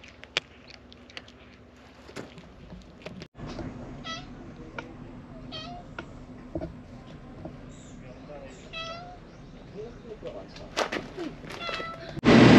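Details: Stray cat meowing again and again, a run of about six short, bright meows spaced a second or so apart, with scattered clicks and handling noises and a sudden loud burst of noise right at the end.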